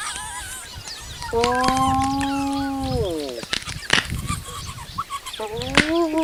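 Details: Spotted hyenas cleaning up a buffalo kill left by lions, crunching bones: a drawn-out, level moaning call that slides down at its end, sharp crunching cracks, and a second shorter rising moan near the close.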